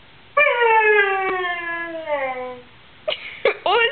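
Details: Indoors, Luna the pet dog pesters her dad with a sustained whine, as she does when bored, hungry or thirsty; the pitch sinks slowly over two seconds, followed by a few short rising whimpers.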